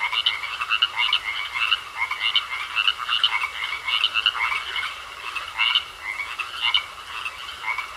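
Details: Croaking frogs in a pond, many voices producing rapid scratchy pulse trains that blend into a steady wall of sound, with brief louder bursts around the middle.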